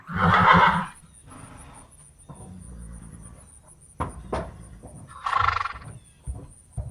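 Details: A horse in a round gives two short, rough, breathy vocal bursts, with thumps and shuffling in between.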